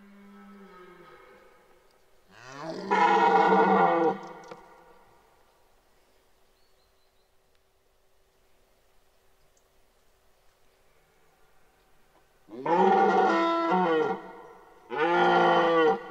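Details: Red deer bellowing in the 2023 rut at Parc naturel de Boutissaint: three loud, harsh, deep harmonic roars, the first about two seconds long, then a long quiet gap before two shorter bellows in close succession.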